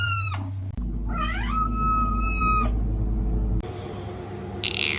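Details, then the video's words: Cat giving two drawn-out meows, the first rising then held level, the second starting high and sliding down, over a steady low musical drone throughout. "Weird Cat Sounds"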